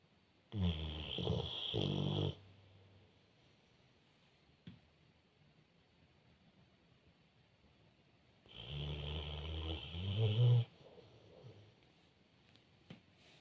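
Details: A pit bull, asleep and dreaming, snores in two long, rumbling bursts of low, rattling breaths.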